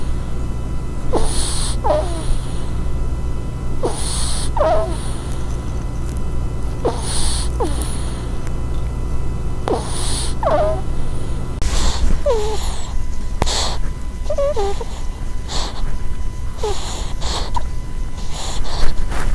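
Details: Close-miked ferret ASMR: a run of breathy puffs, each followed by a brief squeak, repeated roughly every two to three seconds, with a low hum in the background.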